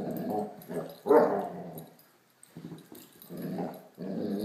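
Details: Great Dane puppy Blacky playing with a toy dog, making low rumbling growls with one higher yelp-like sound, quieter than barking, in short grumbling bursts.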